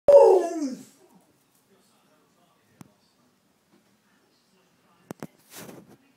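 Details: Nine-week-old puppies: one loud, harmonic yelping whine sliding downward in pitch during the first second, then near silence broken by a few faint clicks and a short soft rustle.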